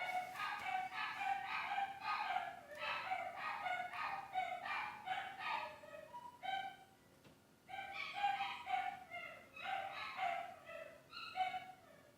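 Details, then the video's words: Screaming dogs behind the scenes of The Cooking Doc: high, harmonic yelping screams in rapid overlapping bursts, a brief lull near the seventh second, then another run of shrill cries. "Screaming Dogs"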